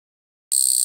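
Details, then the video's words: Japanese katydid singing: after a moment of silence, a sudden loud, dry, high-pitched buzz begins, steady and finely pulsed with rapid flutter, continuing to the end of the short clip; no other sounds present. "鳴くキリギリス Japanese Katydid"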